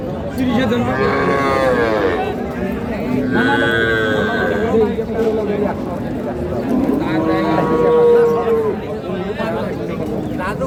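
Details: Lowing at a Dinajpur cattle market in Bangladesh, 19 January 2026, where Sahiwal, Sindhi and local dairy cows are sold with their calves: several long moos around the second, fourth and eighth seconds, mixed with men haggling over prices.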